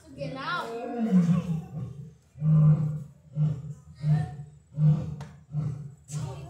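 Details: A lion at the Seneca Park Zoo, Rochester, New York, on August 3, 2020, gives a deep, drawn-out moan, then a run of short booming grunts about every two-thirds of a second.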